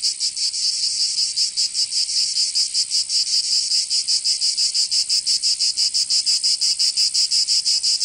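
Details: Provence cicadas in summer, southern France: an intense sizzling buzz beating rapidly and fairly evenly, close to three pulses each second, with nothing else audible beneath it.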